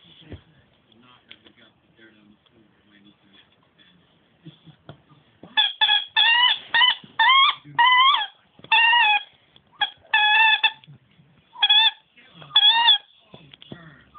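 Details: Nemo, a dog that squeaks instead of barking, gives a run of high, harmonic, wavering squeaks in short bursts about every second after a quiet stretch of faint speech and room noise.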